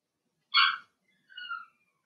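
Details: Blenheim Cavalier King Charles Spaniel puppies from Remy's first litter of six, born March 7–8, in an indoor puppy pen during potty training; one bright, tonal yelp followed by a softer, falling whine, with silence around them.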